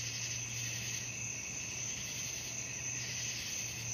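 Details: Crickets calling at night form a steady, dense, high-pitched trilling chorus that continues without pause, with a faint low hum running underneath.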